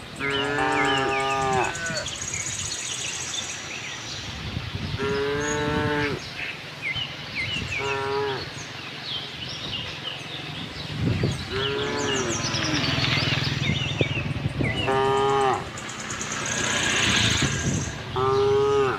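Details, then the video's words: Cows of a tame herd roam a cattle farm looking for grass, calling repeatedly with rich, droning moos, about seven in a row, some short and some long, while birds chirp in the background. "cute tame herd of cows - looking for grass, cow mooing sound"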